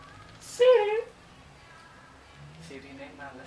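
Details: One brief, loud meow from Yupi, a pet cat also called Kluwuk, dipping in pitch, followed by quiet room tone and faint murmurs.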